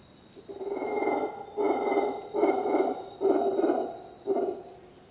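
A howler monkey gives deep, rasping roars in short bursts, repeated roughly once a second.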